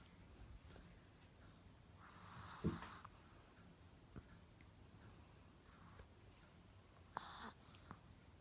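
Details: Yorkshire Terrier named Pogba snoring in its sleep indoors, with no background music: two breathy, rasping snorts about five seconds apart, the first longer and rougher, with faint sniffing clicks between them in a quiet room.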